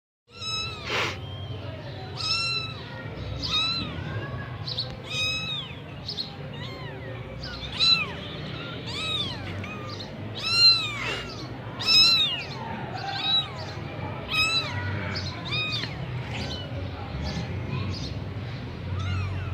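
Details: Persian Sami Punch kitten in Gujranwala: a steady stream of high, arched meows, often overlapping as if several kittens call at once, each rising then falling, over a low constant hum.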